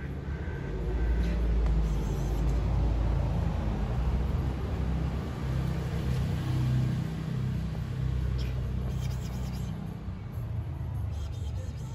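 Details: Steady low rumble of passing cars on a city street, with faint speech and no animal voices.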